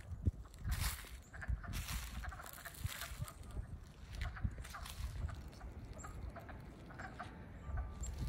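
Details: Early-spring wood frog chorus from Middlesex, Vermont, recorded 7 April 2020 just after the frogs emerged; rapid, quacking clucks overlap into a continuous rattling murmur with stronger pulses.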